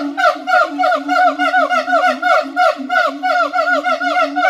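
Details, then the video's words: Rapid, rhythmic siamang calls: a continuous low drone topped by quick repeated downward-sliding notes, roughly three per second, loud and evenly paced throughout. "suara monyet siamang / gibbon monkey sound"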